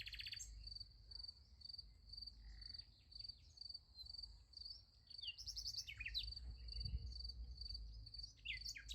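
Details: At night beside a sunflower field, crickets keep up a high, regular pulsed chirp about twice a second while several sharp bird notes break in during the second half, over low background rumble.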